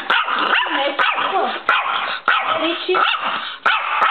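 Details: Chihuahua angry at the camera, letting out short, harsh, yappy barks in rapid bursts roughly every half second to second across four seconds, with a few sharp clicks between them.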